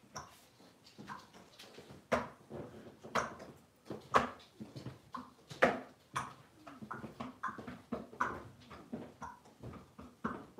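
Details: Five blenheim Cavalier King Charles Spaniel puppies, born on New Year's, moving into a bigger indoor pen; sharp, short yips and barks burst out irregularly, roughly forty a minute, some louder than others, with rustling between them.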